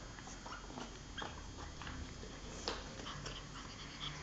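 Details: Giulia, a pug, plays with a pig toy, letting out soft whiny snorts and nasal puffs in quick succession, with one sharper squeak partway through, all over a faint steady hiss.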